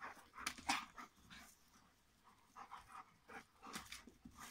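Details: A pair of Rhodesian Ridgebacks at play, one breathing in harsh, breathy panting bursts that come in quick clusters near the start and end, separated by a quieter lull.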